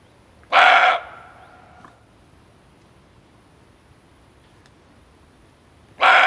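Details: Loud, rough barks of a male barking deer, a call used for hunting lures: one half-second burst with a lingering fainter tail, then a second bark roughly five and a half seconds later, otherwise near silence.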